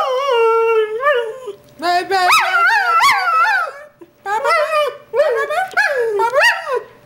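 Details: Greyhound singing: a sustained, wavering howl with rich harmonics, long notes sliding up and down in yodel-like bends, broken by short pauses and a few rising yelps.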